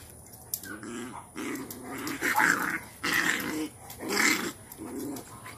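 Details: Mother Cane Corso disciplining her most dominant female puppy, laying her down into a submission posture: a low rumbling growl in bursts of roughly a second, broken by brief higher whiny sounds between them.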